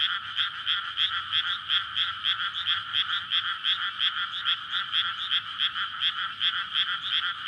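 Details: Frogs courting in a flooded rice field at night in May, a paddy ringed by houses beside a road; thick chorus of sharp, repeated croaking pulses overlapping in a steady rattling wall of sound.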